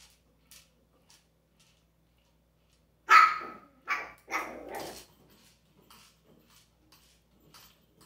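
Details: A dog with an interactive toy gives three loud barks in quick succession near the middle, the last one drawn out and rougher. Faint clicks and a quiet room fill the rest.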